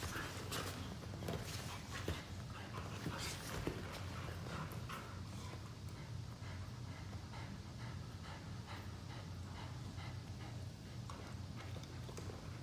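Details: Two pet Boxer dogs play-fighting lazily on a couch indoors after chasing each other; a steady low rumble runs underneath repeated breathy pants and snorting bursts, with soft rustling of bodies moving on the cushions.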